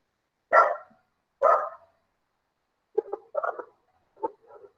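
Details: Continued background barking from a dog during an online lesson on 7 April 2021: two loud barks about a second apart, followed by softer, choppy yips and short barks.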